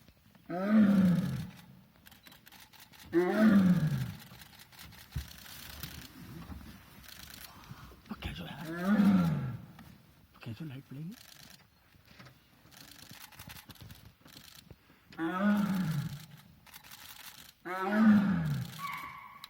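A tiger gives deep, rasping roars, each falling in pitch, in an aggressive display toward nearby people.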